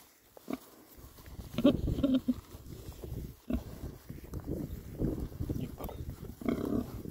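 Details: Happy rare breed Oxford Sandy and Black pigs, six boys, on a winter forage between storms; clear tonal oinks and grunts in short bursts, some with a nasal pitched quality, separated by snuffling and quieter pauses.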